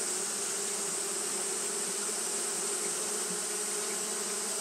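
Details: Japanese honey bees fanning without pause on a hot day: a steady, dense hum with a low droning band and its overtone. A constant bright hiss sits high above, and the sound does not break.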